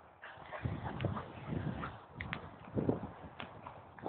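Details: A Staffordshire Bull Terrier waiting to go for a walk makes low, snorting grumbles and short throaty moans in uneven bursts, with a Doberman joining in.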